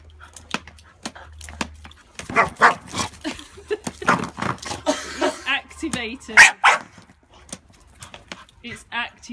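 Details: Female Staffordshire bull terrier and Rottweiler cross barking indoors at a suitcase as its adjustable handle is moved up and down: sharp, harsh barks in quick irregular bursts after a quiet start, with women talking and laughing throughout.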